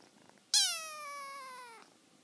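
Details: Kitten talking to its mother: a single loud, high squeaky meow lasting over a second, starting bright and sliding gently downward in pitch, in a quiet indoor room with a person speaking softly afterward.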